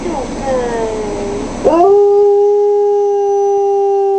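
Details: Four-year-old female wolfdog howling after hearing her absent owner over a speaker phone while the owner is in hospital; a voice fades out, then a long steady tonal howl holds one pitch with clear harmonics.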